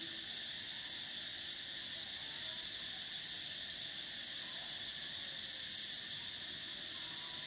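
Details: Summer cicadas in a dense, unbroken chorus: a shrill, steady high-pitched drone in stacked layers, with one top band cutting off after about a second and a half, then resuming.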